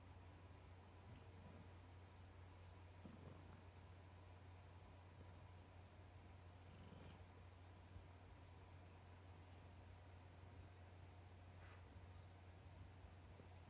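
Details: Affectionate pet cat fond of papa, purring steadily: a continuous low rumbling drone for the whole stretch, with occasional soft rustles and clicks.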